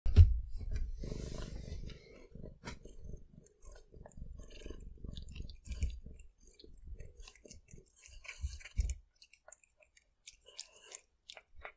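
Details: Cat eating fish, close-up: wet, irregular chewing and biting, with a heavy low thump and rumble in the first two seconds, then softer smacking bites that fade out after about nine seconds into near silence.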